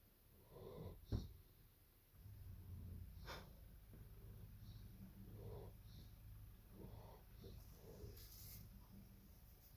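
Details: Evo, a German Shepherd dog, during nap time: low, rumbling breathing that starts after a sharp knock near one second, then rolls on as a steady deep drone with soft rhythmic snorts.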